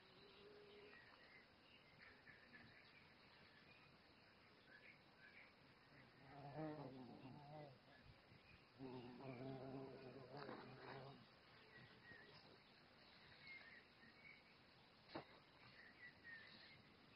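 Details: A violet carpenter bee (Xylocopa violacea), about twice the size of a bumblebee, hums past in two deep, droning flight bursts, each a few seconds long.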